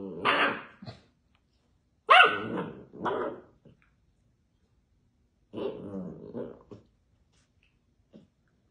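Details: A bored Basset Hound puppy rolling around while barking: three bouts of harsh, harmonic barks and yowls, some rising into brief growls, separated by short silences, with a final faint yelp near the end.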